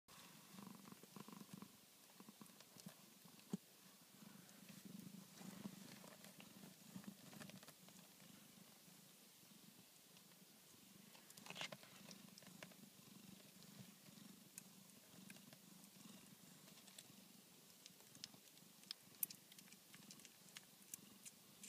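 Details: Newborn Tonkinese kittens of the mother cat Minerva purring indoors: a steady low rumbling purr with rhythmic pulsing throughout, plus scattered soft clicks and faint rustling.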